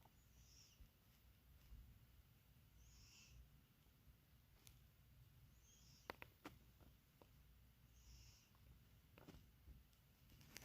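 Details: Resting cat snoring softly, each breath a faint breathy hiss recurring about every two and a half seconds over a steady low rumble, with a few sharp clicks in the second half.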